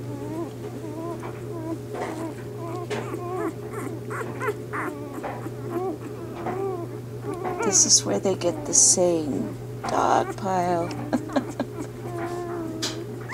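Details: Bernese Mountain Dog puppies in their first days after Bear's delivery: a chorus of quavering squeals and whines, growing louder and denser midway with a few sharp hissy bursts, set against a steady low hum.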